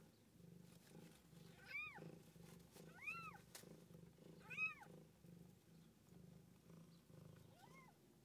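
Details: Cat Tússa-Gatússa giving birth, seven kittens born. Four short, clear arched mews rise and fall, spaced roughly a second or more apart, with a softer one at the end over a steady low hum.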